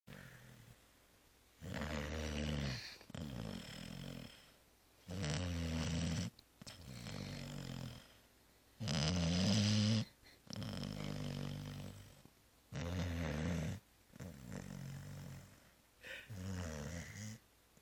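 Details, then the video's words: Zoé the cat sound asleep after returning from Christmas Eve réveillon and Christmas brunch, snoring in deep, rasping low breaths. Each long snore lasts about a second, separated by quiet gaps of roughly two to three seconds, in a small indoor room. "Zoé ronfle 2"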